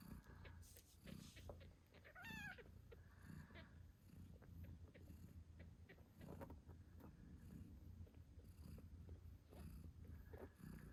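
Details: Eight-day-old British Shorthair kittens with their nursing mother: a constant low purr runs throughout, and a short rising-falling kitten squeak sounds near the start amid small shuffling noises.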